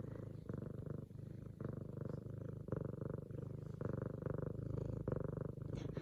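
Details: Female F2 Savannah cat purring loudly at home, excited as her owner returns from work, kneading a leopard-print pillow; deep rumbling purr in steady pulses, each phase lasting roughly half a second to a second, with soft rustling.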